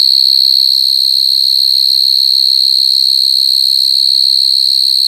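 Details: Steady high-pitched droning trill from a coconut cricket, constant in pitch and loudness with faint overtones, over soft low background thumps.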